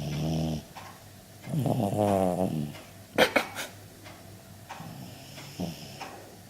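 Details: Pet dog asleep and snoring after a tree planting party at a farm: deep, rumbling, buzzy snores with vibrating tones at the start and around two seconds, softer breathy snores later, a few sharp clicks near three seconds, indoors.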